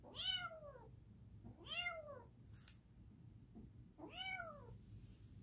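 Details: Edgar the cat lets out three arching meows roughly two seconds apart, each rich in harmonics and falling away at the close, with a brief soft rustle between the calls.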